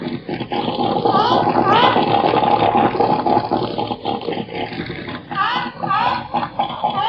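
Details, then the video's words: Seal giving a run of loud, harmonic, wailing calls, with tones that bend up and down and overlap in quick succession, then a short pause before another burst of rising, sweeping cries over a rough, noisy background. "SONIDO DE FOCA"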